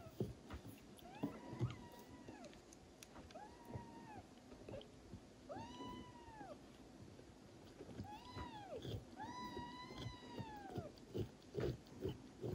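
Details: High, thin mews that arch up and fall away, repeated every second or two, as a Traditional (Thai) Siamese mother cat licks her young kitten to stimulate it to pee.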